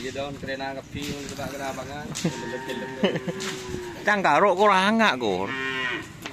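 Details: Madura cattle at a bull race (karapan sapi) training session in Pamekasan; a series of loud, drawn-out moos with wavering pitch, several overlapping, rising to a strong wobbling bellow near the end, with people talking nearby.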